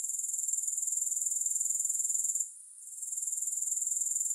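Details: A shrill, pulsing grasshopper drone runs steadily, breaks off for a moment midway, then resumes at the same high pitch and quick rhythm; nothing else is audible.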